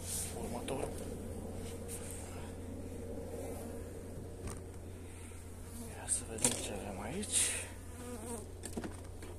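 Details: Honey bees at a hive during feeding with energy cakes on 29 January in mild, pleasant weather. A continuous low drone holds steady for the whole stretch, broken by occasional taps and light rustles.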